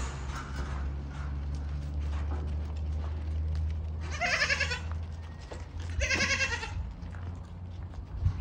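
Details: Yemeni goat bleating, two loud harsh wavering bleats about two seconds apart, each under a second long, over a steady low engine-like hum and faint background noise.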